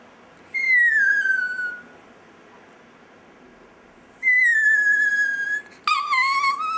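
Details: Pet chihuahua Dexter in a "singing" session, drawing out long high whines that slowly fall in pitch over a second or more, the last one breaking into a rising, wobbling note.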